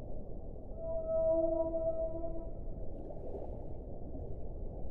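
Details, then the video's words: Whale song: a steady, drawn-out tonal note with stacked harmonics, held for nearly two seconds and then fading. A constant low underwater rumble runs underneath. "1 ora di suono delle balene"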